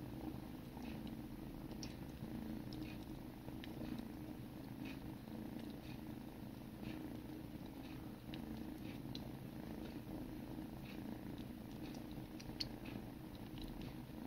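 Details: Purring from sibling kittens in a grooming session, a continuous deep throbbing hum. Scattered light clicks and licking sounds recur every second or so on top of the rumble.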